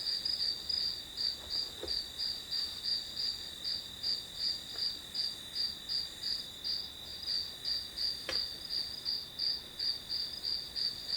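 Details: Night-like chorus of grass insects used as background for studying, with high, evenly spaced chirps roughly three per second on top of a constant ringing drone and a few faint taps.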